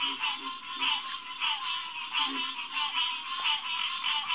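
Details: Green tree frog chorus, Hyla cinerea, at Headquarters Pond, SMNWR, 9:10 pm on June 2, 2021: rhythmic swelling calls rise from the crowd about twice a second, accompanied by soft low throbbing notes and a constant high whine.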